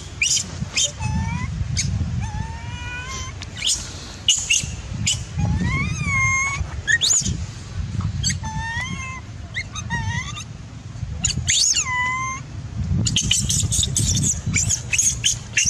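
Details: Angry baby macaque, denied milk by its mother, wails in repeated rising and falling screeches every second or so over low rumbling noise and scattered clicks.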